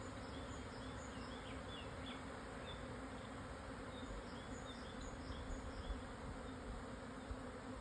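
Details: Swarming Japanese honey bees moving to a new home on a highland at 1054 m near Hokuto, Yamanashi, midday, June 2024; continuous thick droning buzz with little change, small bird twitters faintly overhead.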